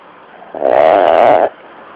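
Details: Sleeping pet dog snoring while twitching; one drawn-out, rough, nasal breath lasting about a second over quiet background hiss.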